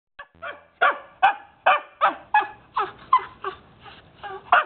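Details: Jomon Shiba dog in obedience training, practising the wait command: a run of about ten short, sharp barks repeated roughly every half second, each with bright harmonics, some ending in yelpy rising tones.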